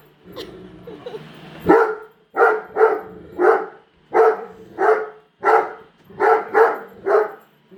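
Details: Great Dane female barking nonstop at a freshly unboxed Roomba inside the house; deep, harsh barks repeat roughly every half second to second, some in doubled pairs, after a brief low rumble at the start.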